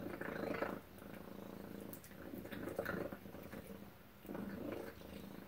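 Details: Domestic cat named Tacy purring at breakfast indoors: a rough, rumbling purr rising and falling in three swells over about five seconds, with quieter gaps between the breaths.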